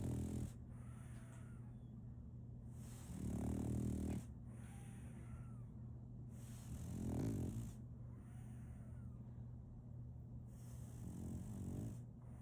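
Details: A sleeping French Bulldog named Solaimy, a female puppy, snores in a slow cycle. Four rough, throaty snorts come roughly every three to four seconds, separated by soft airy breaths, with a constant low background hum.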